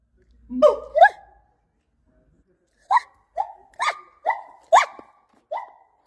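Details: A monkey imitating sounds gives short, hoarse, bark-like calls that bend sharply in pitch, in a quick uneven series.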